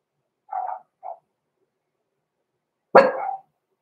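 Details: Six-week-old blenheim Cavalier King Charles Spaniel puppies Roman and Blue, born November 14, 2022, in a home puppy pen: two soft short yips, a pause, then one sharper, louder bark with a brief tail.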